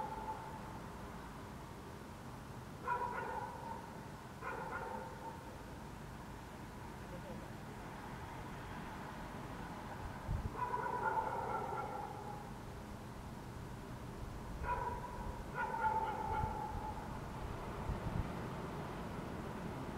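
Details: In June 2014 in Helsinki, Finland, dogs bark across the city under a waning gibbous Moon. Short paired barks alternate with longer, wavering drawn-out ones in irregular clusters through twenty seconds, with a low traffic-like rumble beneath.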